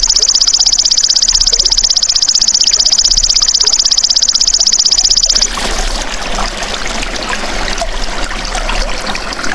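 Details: Golden grasshopper heard as a natural training sound for songbirds: a piercing, evenly pulsed buzz that runs unbroken for over five seconds. It then cuts off into a broad hiss like flowing water.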